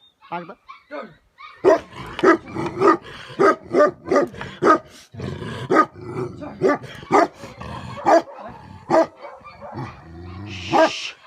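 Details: Himalayan livestock guardian dog of Nepal, a Tibetan Mastiff or Bhote Kukur, barking steadily in a long run of sharp, booming barks spaced roughly half a second to a second apart, with quieter murmuring and a human voice underneath.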